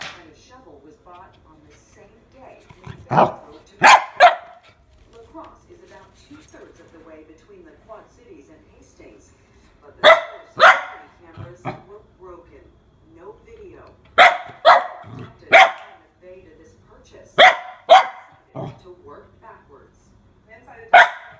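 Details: Frightened female mini Goldendoodle puppy facing a water bottle, giving short bursts of two or three quick barks every few seconds, spread over twenty seconds, with soft talking in the background.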